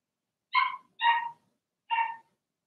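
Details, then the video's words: Three clear, high puppy barks from Blenheim Cavalier King Charles Spaniels, Remy's litter of six born in March, in their pen at home; the first two come close together, the third after a short pause, each bright and ringing. "Cavalier Puppies Bark, Howl"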